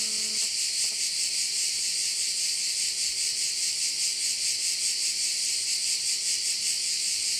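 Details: Crickets heard from a bay in Korčula: a loud, high, shimmering chorus with fast rhythmic pulsing throughout; a brief low sound at the start and a faint steady hum run beneath the insects.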